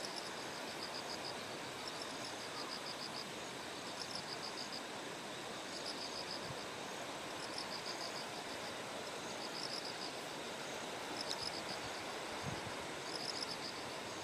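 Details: Bell crickets singing by terraced rice paddies in Kikuchi, Kumamoto, Japan, on a September 6 morning before a typhoon's closest approach; high, ringing pulsed bursts repeat every second or two over a steady rush of flowing stream water.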